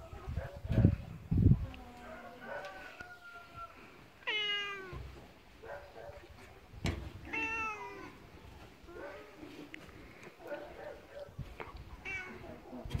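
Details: A male pet cat made angry by its owner during play gives several sharp, harmonic meows spaced a few seconds apart, with soft thumps and handling noises in between.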